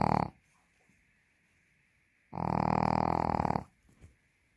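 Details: A Pekingese sleeping like a princess, snoring loudly: one short snore at the start, then a long rasping, buzzy snore lasting over a second after a quiet pause, in a small indoor room.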